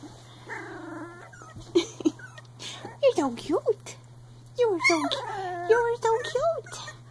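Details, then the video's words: Three-week-old Icelandic Sheepdog puppies growling while playing and hopping about, heard as high, squeaky, wavering whines and short yips in bursts, with a person talking softly over them and a steady low hum underneath. "Growl! Hop! 3 week old Icelandic Sheepdog Puppies"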